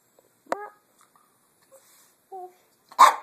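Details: Casper, a pet Chihuahua, coaxed to 'talk' indoors: a sharp tonal yip, faint whimpers, a drawn two-toned whine, then a loud rough bark closing the sequence, with quiet pauses between.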